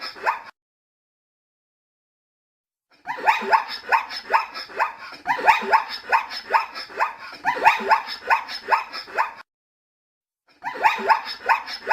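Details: A zebra starts with a short tail of calling, stays quiet for over two seconds, then delivers a long sequence of rhythmic, rising bark-like yelps before another pause and a final burst.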